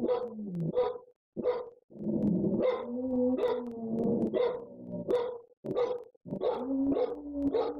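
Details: Several household dogs howling and barking at home with their owners away. Two voices hold steady, wavering howls at different pitches, broken by sharp barks roughly every half second, with a few short silent gaps.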